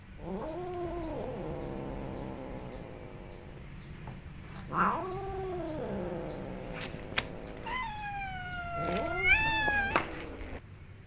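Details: Angry cat letting out several low arched moaning growls, then a high harsh rising wail near the end; faint regular ticking in the background.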